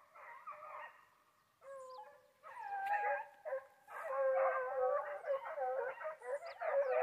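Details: Foxhounds hunting wild boar in Brazil give a chorus of overlapping baying howls, long wavering tones sliding up and down, several dogs calling together in bursts with brief pauses between.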